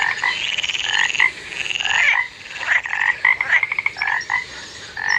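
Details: Dense toad chorus: many overlapping buzzy pulsed trills and quick croaks crowd together with barely any gaps, over a steady hiss and faint high-pitched background whine.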